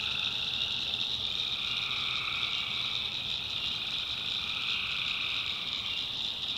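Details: Swamp at night in the backwoods of North Carolina, tree frogs massing in a constant shrill trilling chorus, the sound swelling slightly toward the end with a fainter lower call band underneath.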